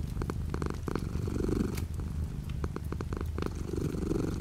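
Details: Low, rapid pulsing purr from a cat, light rain pattering outside the window; brief stronger swells near the start and end, and irregular sharp taps of drops in between.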